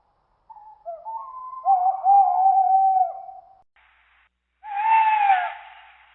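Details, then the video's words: Siberian forest wolf howling: several long, wavering tones that hold steady and drift slightly, overlapping in a short chorus, then a rougher, breathier howl after a brief pause. "Sounds Of Siberian Animals Tiger, Bear, Leopard, Husky, Deer, Lynx, Owl, Wolf"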